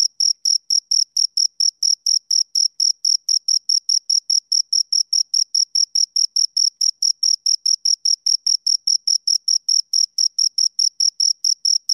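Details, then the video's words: Two crickets chirping, a bright high-pitched pulse train repeated about four times a second, steady and unbroken throughout, with a clean silent background and no other sounds. "Two Crickets Chirp Sounds"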